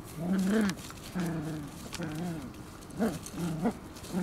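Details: Competing Shiba Inu puppies give drawn-out harmonic whimpers and growly moans, several overlapping notes that bend up and down, with short sharp yips near the end.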